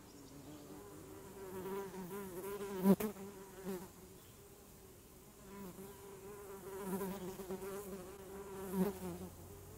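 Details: A close, loud honeybee wing hum, deep with a clear overtone, rising and falling in intensity as the insect hovers and shifts. Brief louder bursts come near the start and end, and short quieter gaps fall between passes.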